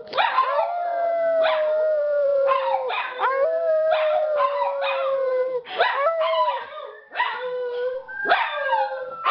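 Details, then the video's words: Pet dogs howling together, coaxed by two people: sustained level howls repeatedly broken by short bursts of barking and yips, roughly every second or two, voices overlapping throughout. "Dogs Howling"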